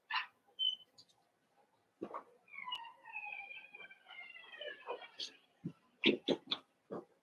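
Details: Cavalier King Charles Spaniel puppies, seven weeks old, in a puppy pen inside a family home. Thin, drawn-out whines with wavering, slightly falling pitch are followed by a quick run of short, sharp yelps near the end.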